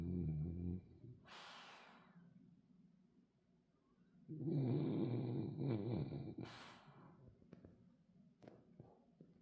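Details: Sleeping French Bulldog snoring: a low, rattling snore in the first second, then a longer growly snore with a wavering tone lasting nearly two seconds mid-way. Breathy exhales come between the snores, with quiet pauses and a few faint clicks near the end.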